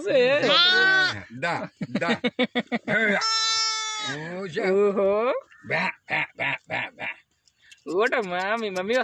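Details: Newborn lambs, about one day old, among village animals, giving a rapid run of quavering, wavering bleats, some long and strained, others short and choppy, with brief gaps and human voices mixed in.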